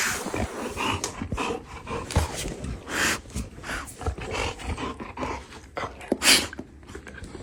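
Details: Dog indoors snorting and panting in rapid bursts of breathy noise, with a few short sharp huffs near the end.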